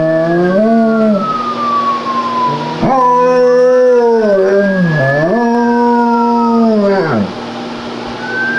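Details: German Shepherd howling in imitation of a police siren: long sustained harmonic howls with wavering, dipping pitch, while a siren tone slides slowly downward alongside; steady background throughout.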